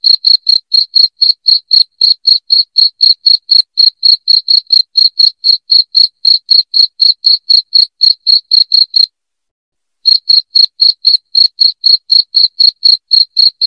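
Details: A cricket chirping loudly, used as a rat repellent at home: rapid, regular high-pitched pulses about four each second, broken by a one-second pause near the nine-second mark before resuming unchanged.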